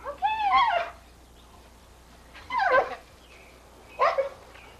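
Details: Sadie, a Pit Bull, going crazy for bubbles being fed to her in a 1983 home recording; three short, high, wavering yelps, each under a second, separated by pauses of about one and a half seconds.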